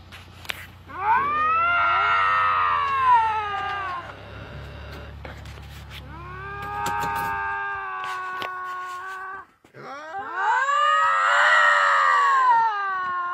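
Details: Two lynx screaming at each other: long, drawn-out, harmonic wails rising and falling in pitch, three main screams separated by brief pauses, the middle one flatter and steadier, with a low hum underneath.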